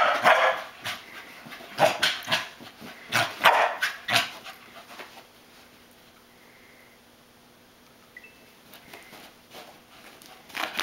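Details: Corkie the corgi barks while chasing a flashlight beam and spinning in circles. Sharp, loud barks come in quick bursts over the first four seconds, then quiet. A few softer sounds return near the end.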